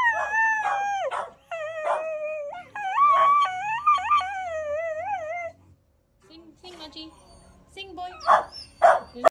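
A Cocker Spaniel howls in long, wavering, tuneful notes that slide up and down.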